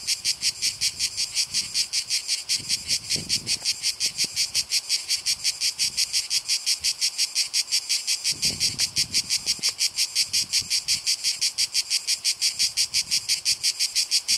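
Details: A long, even run of Cicada orni song: high rasping pulses repeated close to three times per second without pause for over fourteen seconds, with occasional faint low thuds.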